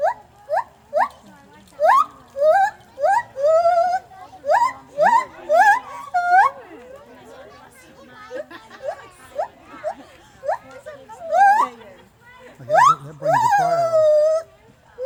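A gibbon gives loud, rising whooping notes, repeated in a quick series, with people talking nearby.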